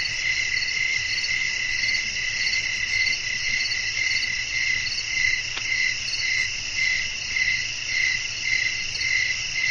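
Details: Crickets chirping at night in a Thai nature ambience with wind: a dense, steady high-pitched trill in two bright bands, pulsing a couple of times per second, over a soft low rumble.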